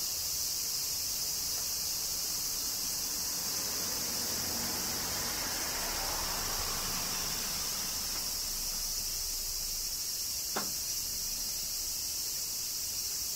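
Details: Cicadas in summer rain in Kyoto, Japan: a dense, unbroken high buzzing chorus holds steady throughout, with a soft wash of lower background noise and one brief click near the end.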